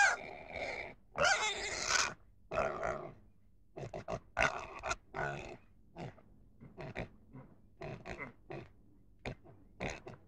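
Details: Pig sounds in an irregular run: rough squealing bursts at first, then quieter, clipped grunts spaced unevenly, roughly one every second, over a faint low hum.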